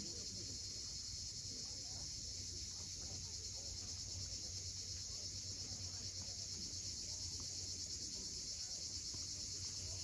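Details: On a steep Crimean shoreline at Cape Fiolent at sunset, cicadas keep up a steady, high, rasping drone for the whole stretch, with gentle low-frequency wave sound beneath and no other clear voices.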